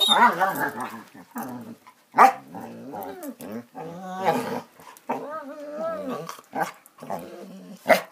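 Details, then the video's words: Playing Basset Hounds giving a long run of growls, grumbling whines and harmonic howl-like yelps, with a few sharper barks breaking in; the sounds overlap almost without pause. "Bassets playing"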